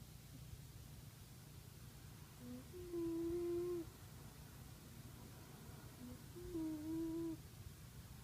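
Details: Pet cat Lani asleep on a sunny perch, snoring in soft whistling tones. Two drawn-out nasal whistles come about three and a half seconds apart, each led by a brief faint squeak, with steady low room hum beneath.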